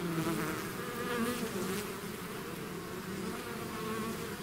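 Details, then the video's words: Swarming bees pouring out of their hive give a thick, even buzz, with individual insects briefly rising in pitch as they fly near. "bees therapy swarm natural buzzing sound"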